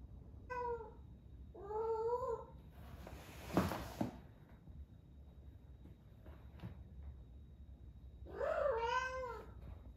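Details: Ame, a female rescue cat of eleven months in her first heat, in Osaka, Japan, meows in short wavering cries, then a clatter and a quiet stretch before a longer, rising-falling yowl near the end.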